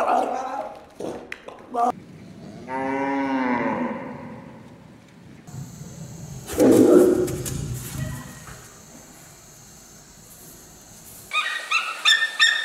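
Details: Zoo animals in short cuts: brief sharp calls, then a drawn-out harmonic moo-like bellow lasting about a second and a half, a rough burst of roaring, and a hiss of background noise with short high calls at the end.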